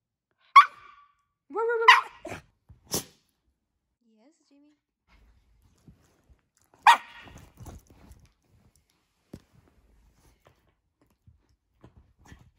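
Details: A Shiba Inu that has found an anchovy gives a few sharp yelping barks and a brief, tonal whine, with long quiet gaps between.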